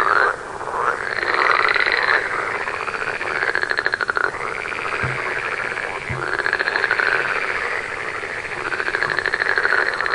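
Frogs call steadily at night, a dense chorus of rapid, rattling pulses rising and falling in waves.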